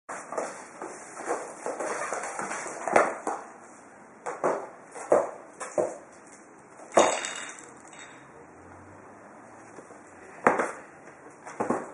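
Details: Sharp knocks, taps and rustling of cardboard come at irregular intervals over a low background hiss, with no animal voice.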